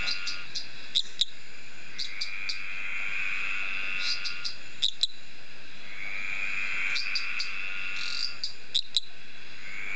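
A male eastern dwarf tree frog gives a high, creaking trill broken by sharp clicking pips to attract females.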